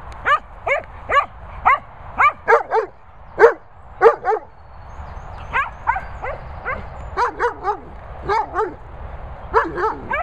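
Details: Cocker Spaniel named Darling among dogs Bella Boo and Bernie, barking in sharp, high, yappy bursts, single barks and quick doubles spaced roughly half a second to a second apart, with gaps between runs.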